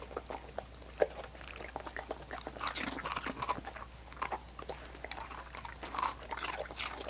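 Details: Dogs licking coconut water popsicles, slurpy tongue smacks and soft crunches coming in loose rhythmic runs, one sharp click near the start, over a quiet steady hum.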